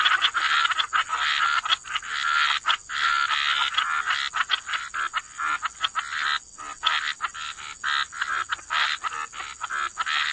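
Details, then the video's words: Chorus of frogs croaking by the water: dense raspy croaks with rapid clicking pulses, a brief lull near six and a half seconds, a steady high whine throughout. "Frog Lullaby: Relax to the Sound of Croaking Frogs"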